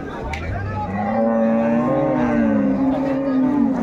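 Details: At Ambari cattle haat, where dairy cows and pregnant cows are sold on 21 May 2024, a cow gives a single drawn-out lowing call that begins low, rises and holds a steady tone, with faint market chatter behind.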